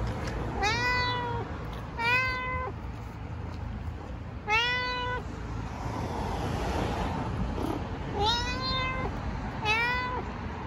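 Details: Istanbul street cat, a stray, talks in five clear meows, each bending up and down; a pair at the start, one in the middle, two near the end, with a quiet gap and background hum.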